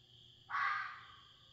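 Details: A red fox outdoors in the middle of the night in the Tennessee Smoky Mountains lets out one hoarse, screeching scream, loud at the start and fading over about half a second, with faint background hiss around it.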